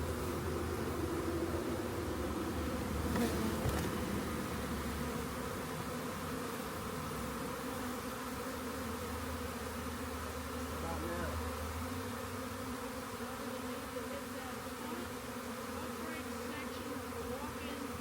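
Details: Swarm of honey bees found beside a rain gauge and collected into a box: a dense, steady droning hum with layered low tones, continuous throughout, with faint rumbling and handling noise underneath.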